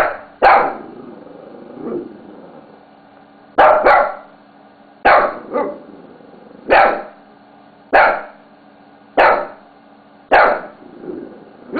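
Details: Pet Shih Tzu named Bella barking at a mouse pad during play, about eight abrupt barks, several in quick doubled pairs, roughly a second apart after an early pause, over a constant background hum.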